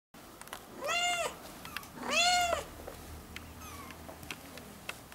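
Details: Four one-month-old ginger kittens with their young mother, a former stray taken into a house, meowing: two clear, loud, high, arching mews about a second apart, then softer faint squeaks and light tapping in a quiet room.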